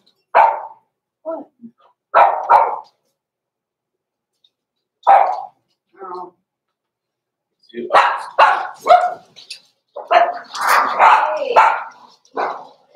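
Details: Blenheim Cavalier King Charles Spaniel puppies Roman and Blue, born November 14, 2022 to Pom-Pom in a small litter, in a home puppy pen at Christmas: scattered sharp, high barks with pauses, then a denser run of yips mixed with human voices.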